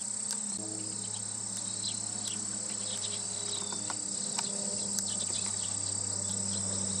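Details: Japanese carpenter bee (Xylocopa appendiculata), filmed 28 September 2013: a low, steady droning hum with layered overtones starts after half a second. It runs beneath a constant shrill, high-pitched chorus of other insects.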